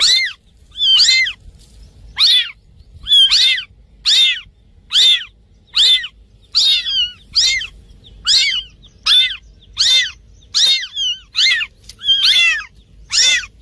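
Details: Cat giving a fast series of short, high, thin mews, about one each second, every call arching down in pitch, over a quiet background.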